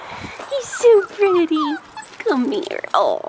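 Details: Blue merle Australian Shepherd male puppy, 4.5 weeks old, on an Oklahoma farm, September 2021: drawn-out, falling whimpering cries in a short series, then a thinner wavering whine, while a woman talks softly to him.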